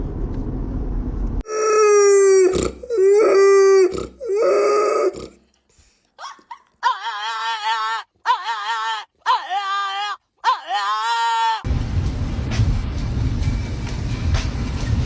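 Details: Several pet dogs cry at a drive-thru after being promised pup cups that they do not get. Drawn-out, wavering whining howls rise and fall in separate bursts, some long and some short, with brief silent gaps and a muffled rumbling background at the end.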